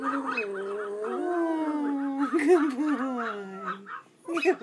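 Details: A little male Pomeranian gives a sustained wolf-like howl lasting nearly four seconds, steady in pitch with a wavering, quavering middle, then trails off as an owner's voice praises him.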